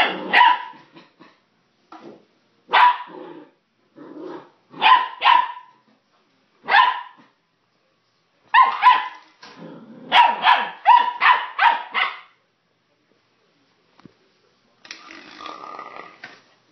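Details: Playful puppy Sun with plastic bottles, sharp high barks in uneven bursts, singles and pairs spaced a second or two apart, then a fast run of barks, a pause, and a closing low grumbly yap.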